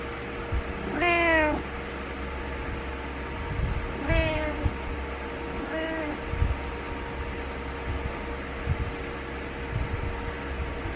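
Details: Butters the cat meowing to get its owner awake: three harmonic meows, the first longest, spaced a few seconds apart, with a steady low electrical hum and faint thumps between them.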